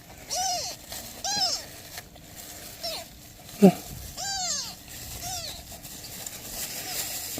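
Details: Newborn kittens with a mother cat asking for help: soft, fairly faint arched meows repeated every second or so, with one sharp tap midway and a light background hiss.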